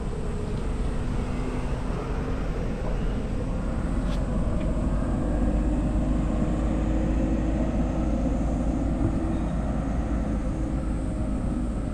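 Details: Constant traffic or aircraft roar, low and broadband, with one brief click, and no animal sound.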